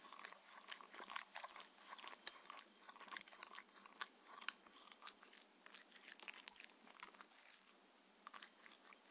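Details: Mindy, a six-year-old female Shetland Sheepdog, eats her raw-food dinner indoors: dense crisp crunching, biting and wet chewing in quick irregular bursts, steady throughout, with no talking.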